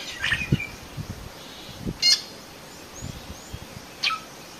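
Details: In Phinda, Zululand, South Africa, a vigilant cheetah mother calls to cubs concealed in tall grass; three brief high chirps roughly two seconds apart, a softer whistle between them, over low scuffing noise.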